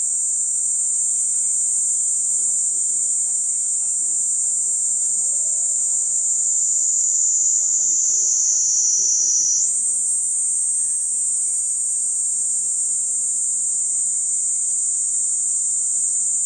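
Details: Cicada droning in a sustained high whine, the pitch sagging slightly then jumping back up near the ten-second mark before holding steady again.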